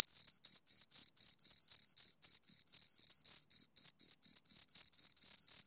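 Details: High-pitched rhythmic chirps from two crickets, brisk pulses of scraping trill repeated several times a second, slightly uneven spacing, no background noise.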